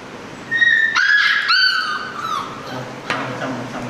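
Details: An Alaskan Malamute puppy gives high, drawn-out whines that waver and slide downward while being given its first DHPPILC vaccination on 30 December 2020.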